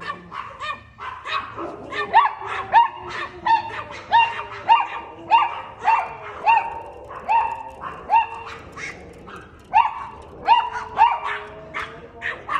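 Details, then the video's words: Chihuahua dog barking at a cat: a rapid run of high, sharp yappy barks with clear harmonics, about 100 per minute at uneven spacing, some whiny tonal yips between, no other clear sounds. "Cute Chihuahua Dog Barking At A Cat"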